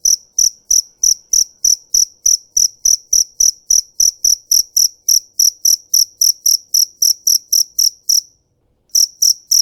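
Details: Fighting cricket chirping in rapid, evenly spaced high pulses, roughly three to four per second, in a steady run that breaks off briefly near the end and then resumes; no other sounds.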